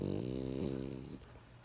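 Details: Brief fragment of French Bulldog Benjamin snoring, a single fluttering, low nasal rumble that fades out.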